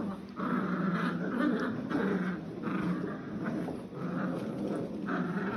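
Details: Litter of nine Old English Sheepdog pups at seven weeks, born October 2022, in a tug-of-war play session. Short harsh growls pulse rapidly and unevenly, punctuated by squeaky whimpers.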